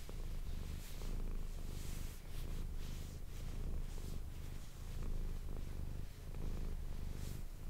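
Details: Manis the domestic cat purring into an ASMR microphone: a soft low vibrating rumble rising and falling with each breath, about every second and a half, with faint breathy hiss.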